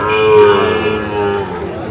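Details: Sahiwal breed bull calf at Ambari cattle market, Dinajpur district, 24 November 2025, gives a sustained tonal moo of about one and a half seconds, steady then slightly falling, over murmuring market voices.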